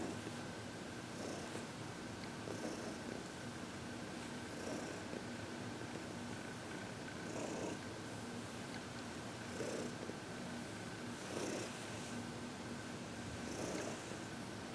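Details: Heidi, an arthritic-seeming senior cat adopted at 14 from the Humane Society of New York City, purring through massage and reiki; soft pulsing purr bursts repeat every one to two seconds against continuous faint hum.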